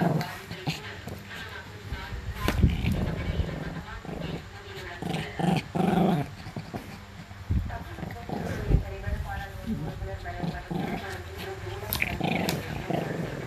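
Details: Shih Tzu dog giving a funny reaction, with short low growling and grumbling bursts, loudest around the middle, scattered through steady human talking and household noise.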